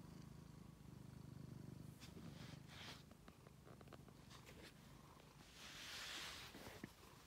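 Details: Pet cat Angelus, a rescued male found in a basement, purring low and pulsed for the first two seconds, then softer beneath rustling and brief handling noises.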